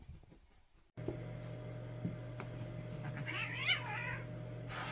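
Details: Two cats playing roughly together: after a second of near silence, a steady low electrical hum begins, and near the end comes one brief, wavering, harmonic yowl lasting about a second.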